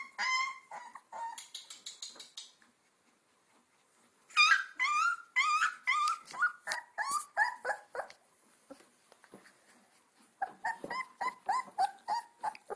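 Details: Two-week-old Alaskan Malamute puppies from the Payakootha litter (Sansa, Sorpresa, Spartacus, Swagger) on early outings: bursts of high, wavering squeals and whimpers, rapid and overlapping, with a quiet gap mid-clip before the crying resumes.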